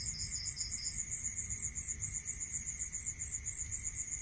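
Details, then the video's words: Cricket sound at night in a rural area: a shrill, rapidly pulsing trill continues steadily, while a lower chirping series stops after about one second; faint steady tone and low rumble behind. "Listening to Cricket Sound Natural meditation music"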